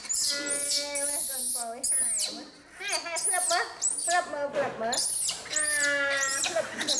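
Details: Infant female monkey, found alone without a mother near the jungle and taken in by villagers, crying angrily while being bathed: repeated high, arching squealing screams in rapid series, mixed with steady human talking close by.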